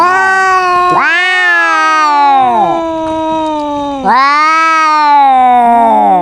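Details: Domestic cat squabbling with another cat: two long, loud drawn-out yowls about three seconds each, rising sharply at the start and then holding before sagging, with overlapping tones from both animals.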